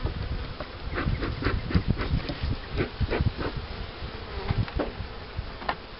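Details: Colony buzz from beehives set up for rearing queen bees with the Cupularve method. A dense low drone sits under irregular tapping and clattering from hive work.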